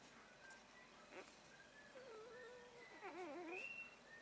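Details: Shiba Inu puppy recorded on 6 April 2013, giving wavering, tonal whines that rise and fall in pitch, with a faint higher squeal near the end over a light background hiss.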